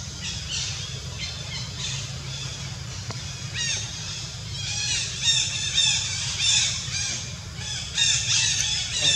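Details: Monkey named Jazzy crying in pain from ant bites covering her whole body: shrill, sharply bending squeals in clustered bursts, some quiet stretches between, over a constant low background drone outdoors.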